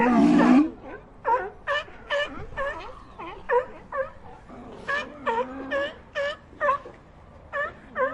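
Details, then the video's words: Sea lions in a colony giving a rapid series of short, harmonic barks, some with a wavering, bleating quality, repeated roughly every half second after an opening loud, drawn-out bellow, with several animals overlapping. "Colony of Sea Lions Sound Effect"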